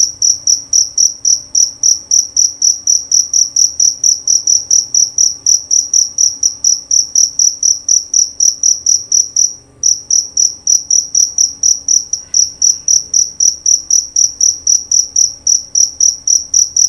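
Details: High, piercing chirps from a male jerabang cricket, prized for a loud, clear voice, repeated roughly four times a second, broken by one short gap near ten seconds.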